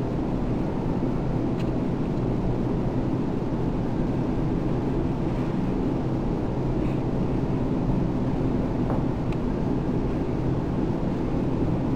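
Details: Loud steady low rumble like a vehicle engine or wind on the microphone throughout, with no animal sound heard.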